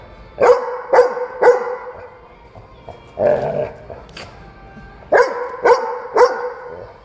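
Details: Loud dog barking at a dog cafe, apparently wanting to play: a run of three sharp, evenly spaced barks, a lower rougher sound in the middle, then three more barks about half a second apart.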